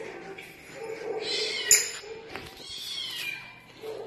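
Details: Cat room recording with a cat giving two stretched, whining meows, the first swelling midway, the second falling away, between a sharp clink, faint background voices and low hum.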